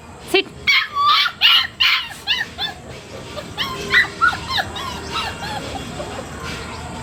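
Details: Labrador Retriever puppy letting out a burst of squeaky barks and yelps that trail off into quieter whining notes, over a faint steady hum.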